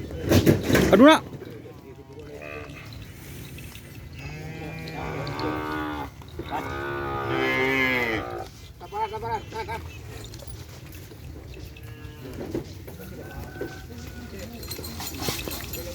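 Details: Hajar Boss kerapan sapi bull-racing cattle in training for the Presidential Cup: two long, drawn-out moos in the middle, the second strained and wavering, over a noisy outdoor background with speech and a loud clatter at the start.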